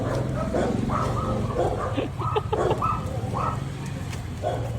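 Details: Belgian Malinois, from a pair named Luna and Dax, giving a run of short, rough barks about three per second, with low rumbling background noise throughout.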